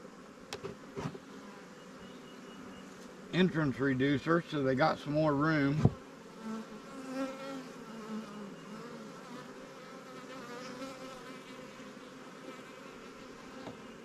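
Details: Swarm-caught honey bees in new Langstroth and Warre hives during a beekeeper's inspection, a droning hive hum throughout, with a brief burst of human talk partway through and a few sharp knocks near the start.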